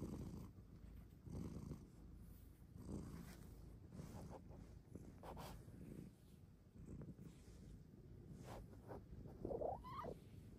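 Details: Bengal cat purring while cuddling inside a cat cave, a low, rough, continuous rumble that swells and fades with each breath, with a brief higher squeak near the end.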